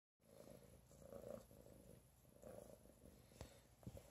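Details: A pregnant domestic cat purrs softly while being petted. The purr is a quiet, steady low rumble with gentle pulsing swells, and faint rubbing sounds come from the hand.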